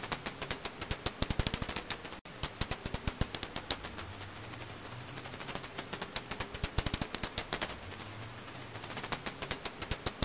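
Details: An Alashan pipistrelle bat's calls from a 2020 recording are heard as rapid dry clicks in irregular bursts.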